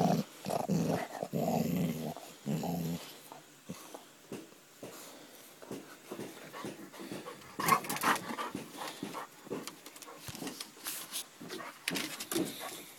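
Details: Basset Hound; growl; play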